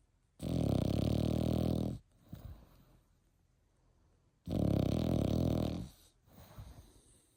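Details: Eight-month-old Frenchie deep in sleep: two long, gravelly snores four seconds apart, each followed by a short, softer wheezing breath.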